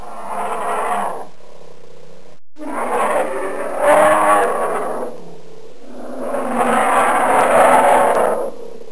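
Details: An angry bear producing three long, rough, low roars, each swelling then fading, the last and longest near the end, with a faint steady high hiss running throughout.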